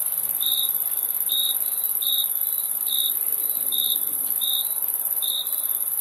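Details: Short repeated cricket chirps, each a quick buzzy pulse at the same pitch, coming slightly faster than one per second over a persistent very high continuous insect chorus.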